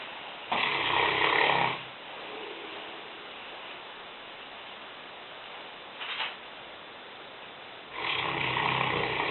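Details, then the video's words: Lena the Newfoundland, a five-year-old, 150-pound female, asleep in the kitchen: two loud, harsh snores several seconds apart, with a brief faint snort between them and soft room hush in the pauses. "Lena (Neufundländerin) schnarchend - Lena snoring"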